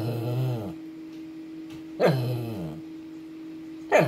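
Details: Two-year-old male Shih Tzu demanding attention, stubborn until he gets what he wants; a low groaning whine opens, another rising-then-falling grumble follows at two seconds, a brief yelp-like onset near the end, with a steady electrical hum throughout.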